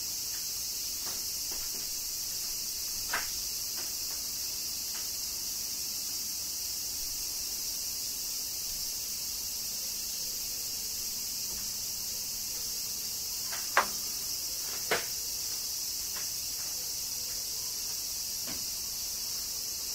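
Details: Cicadas droning through summer rain in Kyoto, Japan, a constant high shrill wash with scattered sharp drip-like clicks, two louder ones near the end.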